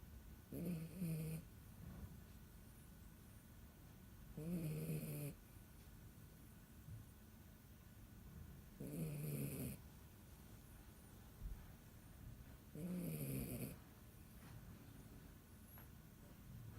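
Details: Dachshund puppy asleep and snoring indoors; four low, rasping snores, each lasting under a second and coming about every four seconds, with quiet pauses between them and a steady faint background hum.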